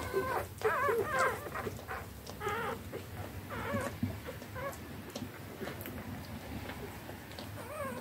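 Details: Eleven three-day-old wire-haired dachshund puppies give high, wavering squeaks and whimpers, several overlapping in quick succession, as they rush to feed from their mother all at once.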